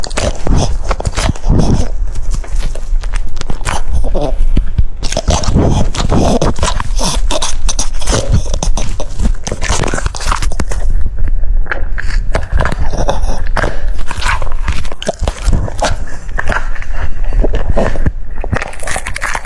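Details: French Bulldog eating cucumber: dense, continuous wet crunching and clicking over a heavy low rumble, with bites packed closely for the whole stretch.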